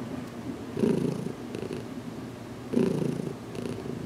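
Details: Purring cat named Heidi during an early head massage in a small closet, weeks after coming to live with her keeper; a soft low drone interrupted by two louder, rough purr bursts.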